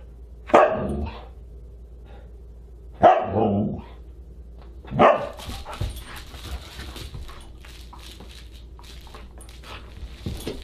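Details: Husky at a dinner party on December 27, 2022, giving three loud, sharp barks spaced about two seconds apart, followed by clattering and scraping household noises.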